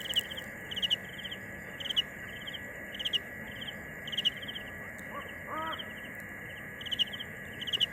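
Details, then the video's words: Chirping cricket: trilled pulse groups about once a second above a constant high steady hum, with a brief lower harmonic call, possibly a voice or animal, around the middle. "Tiếng dế mèn gáy"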